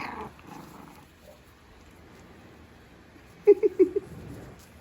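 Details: Five-week-old Havanese puppies at play let out a quick burst of about five short, squeaky yips and little growls within half a second, following a quiet stretch of room noise, with a voice heard briefly at the start.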